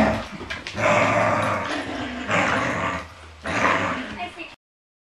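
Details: A female Yorkshire Terrier puppy playing with a Border Collie gives rough, growly barks in three drawn-out bursts.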